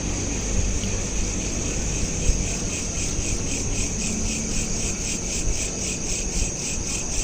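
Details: Night-time cricket chirping captured by smartphone, a shrill pulsing trill repeating quickly and evenly, partly blurred into a continuous ring, above a constant low rumbling hum.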